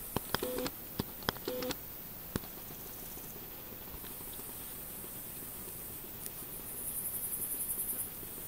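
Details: Female Pholidoptera frivaldskyi bush cricket in a humid meadow near Kosari, Cherkasy Oblast, central Ukraine, 5 July 2023; near the end a very high, thin burst of rapid ticking pulses swells and fades over about a second, after scattered sharp clicks.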